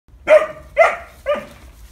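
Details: Great Pyrenees puppy playing with a Highland bull calf on a cattle farm, giving three short, bright barks about half a second apart, each falling slightly in pitch, with quiet low rumble between them.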